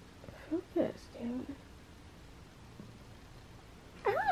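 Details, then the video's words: Cranky, frustrated cat Butters meowing while biting indoors; a person's speech and faint earlier cries come first, then near the end a loud, wavering, drawn-out meow that bends up and down in pitch. "Cranky Cat Meows"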